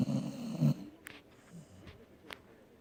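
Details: Dog sleeping, with one short rattling snore at the start, then faint breathing and a few small clicks in a quiet room.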